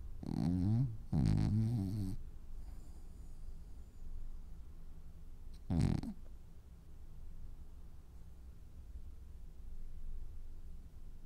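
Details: Dreaming French Bulldog snoring: two loud rattling snores in the first two seconds, another strong snort near six seconds, then quiet low breathing for the rest.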